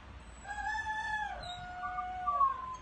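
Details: Bela, a dog, crowing like a rooster: a sustained, harmonic-rich tonal howl that holds steady, then slides down slightly and finishes with a brief rising note. There is faint low background rumble.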